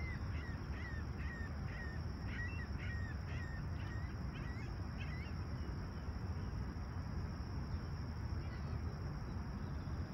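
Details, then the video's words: Chirping crickets on a calm July 28, 2020 summer sunrise at Humber Bay Shores, Toronto: an unbroken high-pitched trill runs under a burst of repeated short bird calls in the first five seconds, with constant low rumble beneath. "Serene Summer Toronto Morning With Chirping Crickets"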